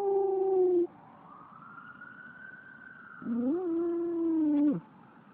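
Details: Dog Otis howls at a passing fire truck: a sustained howl breaks off, a faint rising-and-falling siren wail fills the gap, then the dog resumes with a wavering howl that swoops up and drops away abruptly.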